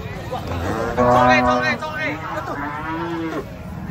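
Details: Cattle being unloaded from a truck: two drawn-out, wavering moos, the first loud and steady for under a second, the second lower and bending. A man talks excitedly throughout, with faint engine rumble.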